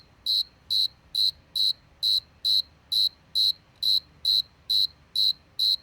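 A cricket gives short, high, ringing chirps, evenly repeated a little more than twice each second.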